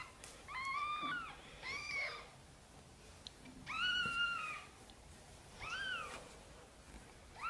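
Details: Gentle meowing from a mother cat seeking help to carry her tiny kittens into the nest: five clear, rising-then-falling meows, roughly one every one and a half seconds, in a quiet room.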